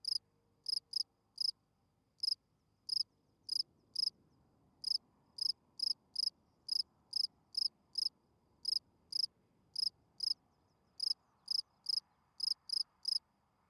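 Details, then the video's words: Spring field cricket at night giving its calling song to attract females: short, bright, high chirps in irregular clusters of two to four, about twenty-five chirps in fourteen seconds, over a quiet background. "Field Cricket chirping"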